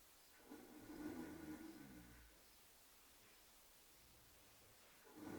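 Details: Oscar, a horse, asleep and snoring: one rough, low, droning breath lasting under two seconds, then quiet room tone.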